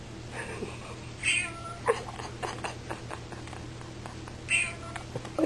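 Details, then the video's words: Very fat house cat living in a music store, barely able to walk, giving hoarse, odd meows that make its owners wonder if it has laryngitis. Short harmonic cries come near the start and again later, with soft indoor talk and a steady low hum. "Is this cat talking?"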